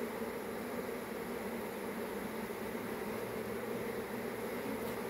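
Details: Soft, even hum of a honey bee swarm, a faint continuous drone in a narrow band, unchanging throughout with light background hiss.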